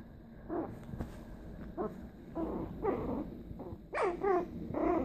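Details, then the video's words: Tiny Maltese Pomeranian mix (Maltipom) growling while playing; short, rough growls and yips come in bursts about every half second to second, rising into louder, harsher snarls near the end, with faint room noise behind. "Tiny Maltese Pomeranian Mix Growling and Playing"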